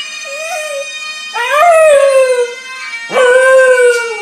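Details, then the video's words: Gilmour, a 9-month-old Scottish Terrier, howls along to bagpipe music: a brief low start, then two long sustained howls rising and gently falling, each about a second or more, with steady droning pipes underneath. "Gilmour the Scottish Terrier howling to Scottish Bagpipers"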